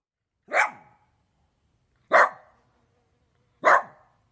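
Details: A dog barks three times: sharp, single woofs spaced about one and a half seconds apart, each with a short fading tail, against a quiet background.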